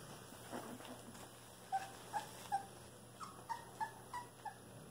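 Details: Young Cane Corso puppies, 23 days old, make a run of about eight short, thin squeaks spaced roughly a third of a second apart, each a brief high whimper over a faint steady hum.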